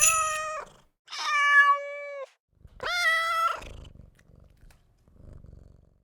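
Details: Domestic cat producing three loud, drawn-out meows, each steady then dropping, followed by a soft low rumbling purr-like sound fading out.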